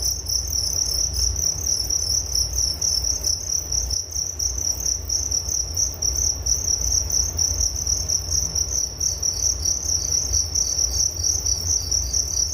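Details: Crickets chirping for relaxation and sleep: a steady high-pitched pulsing trill held on one narrow pitch throughout, with rapid beats blending into a continuous shimmer over a low background rumble.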